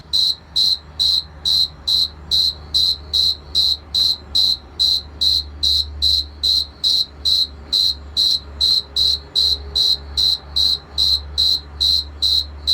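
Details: Male cricket from Argentina rubbing its wings to attract a mate: a steady series of short, high, ringing chirps, about two or three per second, very even in rhythm, with a faint low hum underneath.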